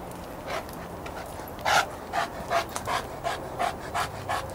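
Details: Panting by a lake, where Chester the St. Bernard follows Izzy the German Shepherd, Cody the Golden Retriever and Clifford the Great Dane. Faint at first, then a loud breathy huff and evenly spaced pants.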